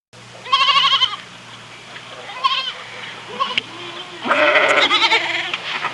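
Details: Farm goats bleating in short bursts, several calls of varied pitch over steady background noise, the last bleat longest and wavering.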